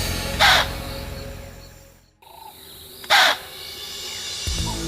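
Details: An impala gives two sharp, explosive alarm snorts, the danger call warning the herd, with a leopard sensed nearby.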